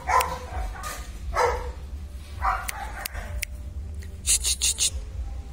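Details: German Shepherd puppies from a kennel litter, descended from IVanka and MoRoc, giving a few short, sharp barks about a second apart, followed by a quick run of clicking, tapping noises near the end.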